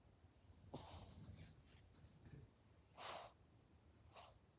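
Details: A pet Dachshund mix dog sneezing: a few soft breathy puffs, then a sharp, loud burst just after three seconds and a smaller one at the end, all over a low quiet hum.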